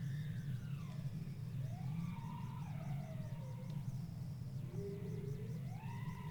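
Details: Bowhead whale song, two sounds produced at the same time: sweeping tonal wails rising and falling with stacked harmonics, joined by a repeated higher pulsing warble, over a constant low underwater rumble.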